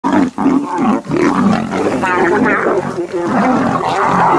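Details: Male lions fighting each other to impress a lioness: loud, harsh, rasping snarls and roars run almost without pause for four seconds, with a short break near the start.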